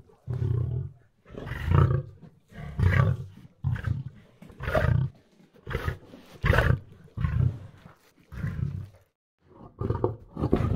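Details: Lion roaring in a rhythmic series of deep, low grunting bursts, each about half a second long, repeated roughly every second with short silent gaps between them.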